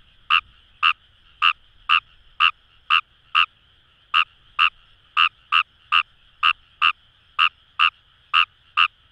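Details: Kawamura's rice frog in rice paddies near the Kamo River, Itoshima city, Fukuoka: about seventeen brief croaks in quick succession, slightly irregular rhythm with short gaps, set against a continuous chorus murmur.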